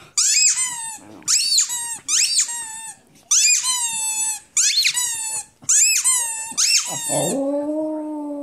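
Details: Rudi, a pet dog, yelps in a run of high, squeaky howls, each bursting in and sliding downward, about one per second, then settles into a lower, steadier drawn-out howl at the end, indoors in a small room.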